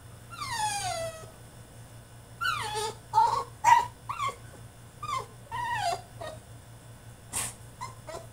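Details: French Bulldog in his cage throwing a tantrum: a rapid run of high, downward-sliding whines and yips, some drawn out and some clipped, coming in quick bursts over a faint steady hum.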